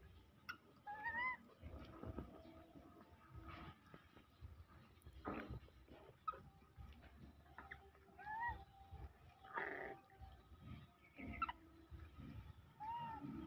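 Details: Pet monkeys, larger ones greedily snatching from and hitting smaller ones; a few short, squeaky, rising squeals break out at scattered moments over a quiet background of thumps, scuffling and rustling handling noises.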